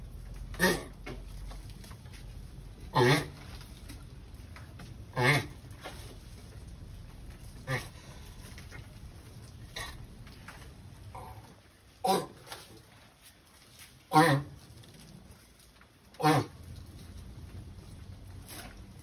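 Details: Sulcata tortoise during mating, giving loud, rough grunting bursts repeated regularly about every two to two and a half seconds, seven in all, over a low steady background hum.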